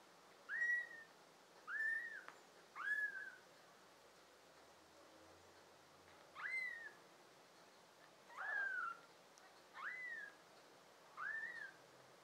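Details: Summer 2022 recording of a litter of five American Shorthair and tabby kittens; seven clear, high, arched mews rising then falling, spaced about a second or two apart over quiet background.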